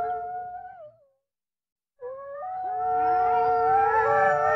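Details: A wolf gives a mid-pitched howl that slides downward and fades. After a two-second silence, a rising howl swells into a sustained, layered chorus of tones.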